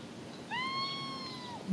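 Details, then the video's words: Blue lynx mitted Ragdoll cat, an indoor male, meowing while smelling something outside and acting strange; one drawn-out meow with a quick rising onset, then a long level tone fading off at the end, over faint room noise. "Blue Lynx Mitted Ragdoll Cat Trigg Meowing & Smelling Something Outside"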